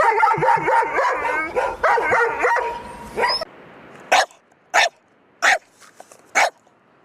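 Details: Pet dog barking: after about three seconds of wavering tonal voice or music, four short, clipped barks spaced roughly two-thirds of a second apart.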